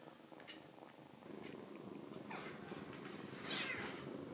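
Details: Foster rescue kitten purring quietly while hiding its paw from nail clippers. A low, rough, continuous purr swells slightly louder partway through, with light rustling near the end.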